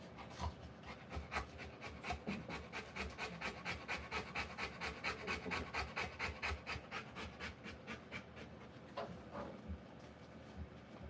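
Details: Rottweiler bitch giving birth to puppies, panting steadily in rapid breathy bursts a little over one per second, even and rhythmic throughout, with faint rustling underneath.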